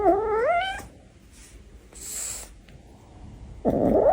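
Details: Kitten giving one short rising meow with stacked harmonics in its first second, followed by soft rustling and a brief louder burst of noise at the end.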